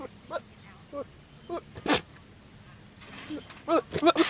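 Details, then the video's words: Goat making funny noises: short, low, nasal calls repeated about every half second, then a sharp sneeze-like snort, with a burst of harsher, higher blasts near the end. "Goat making funny noises"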